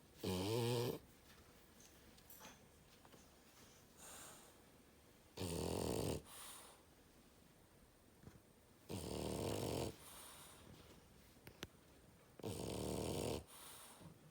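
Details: French bulldog snoring loudly indoors: four rasping, rumbling snores of about one second each, spaced roughly every three to four seconds, with quiet breathing pauses between.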